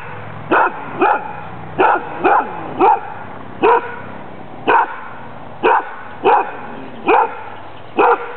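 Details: Barking from a playful, overly friendly female dog being assessed in a Danish Kennel Club temperament test, 14 April 2007. About thirteen loud, clipped barks come steadily, often in close pairs, roughly every half second to second.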